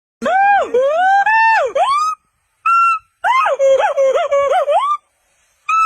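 A monkey gives loud, wavering, whistle-like cries that rise and fall, in several bursts with short pauses.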